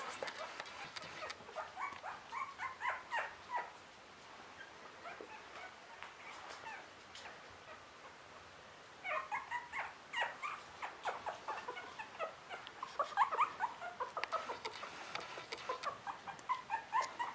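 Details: Whimpering from three-week-old Russian Toy puppies, many brief squeaky cries in dense bursts, a quieter lull near the middle, then more frequent overlapping yelps, with handling clicks and rustles throughout.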